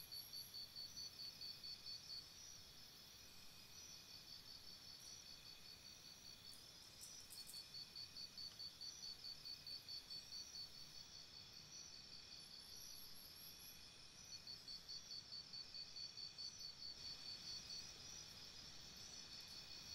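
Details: Night chorus of crickets beside a campsite, high rhythmic chirps pulsing roughly two per second in runs broken by short pauses, higher intermittent chirp bursts above, over soft background hiss.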